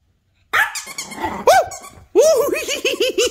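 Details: Female three-year-old Yorkshire Terrier going wild because she wants the squeaky toy; a growl and rough bark, then a rapid series of high arched whining yips about every tenth of a second, with laughter nearby.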